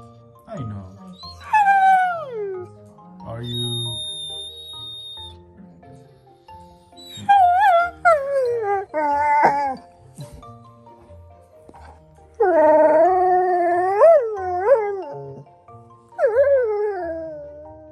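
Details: Tired German Shorthaired Pointer named Tundra throwing a vocal tantrum after a day at the dog park, long drawn-out whines and howl-like moans that rise and fall in several bursts, over soft background music and a woman asking what is wrong.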